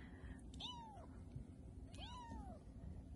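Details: Three-week-old Bengal kittens, registered and cattery-bred, playing indoors in Kalama, Washington; two thin, high arching mews about a second and a half apart over a steady low hum.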